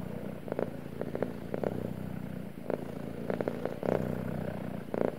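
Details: Cat purring while swishing its tail: a steady low rumbling purr throughout, broken by short bursts of rustling or tapping noise every second or so.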